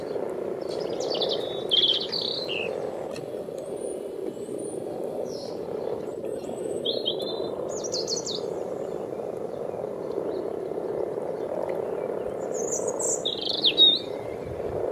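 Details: Frogs frolicking in a wildlife pond dug out 14 years ago give a steady, low purring chorus that runs without a break, while small birds chirp high above it now and then.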